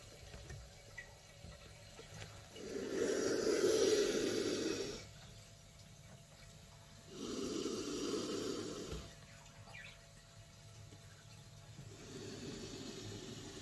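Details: Ornate Nile monitor growling: three long, breathy, hissing bursts spaced several seconds apart, rough and noisy across a broad range, with quiet pauses between them.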